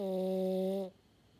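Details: French Bulldog Maddi finishing a loud, steady horn-like snore that cuts off sharply into quiet.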